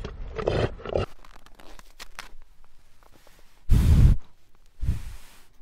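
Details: Reindeer (Rangifer tarandus), grunt.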